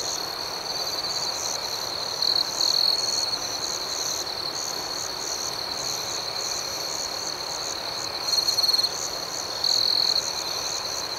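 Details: A nighttime chorus of crickets: constant high, thin trilling with quick rhythmic chirps on top, and a few short bursts where a closer cricket rises louder before fading back.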